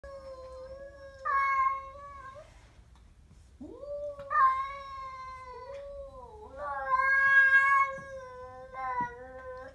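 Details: Siamese cat growling at a stray cat: long, drawn-out tonal yowls, each held a second or more with a wavering pitch. Three swells rise and fall in loudness, with short pauses between them.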